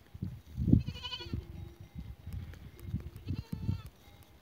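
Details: Goats recorded on 12 April 2023: one short, wavering, nasal bleat with rich harmonics, then lower steady tones and repeated soft thumps and rustles through the rest.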